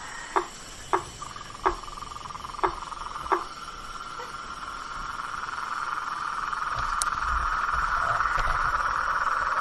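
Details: Blacksmith tree frog calling in a swamp at night: five hollow, hammer-like knocks spaced roughly 0.7 s apart in the opening seconds, set against a dense, steady high trilling chorus that swells louder toward the end.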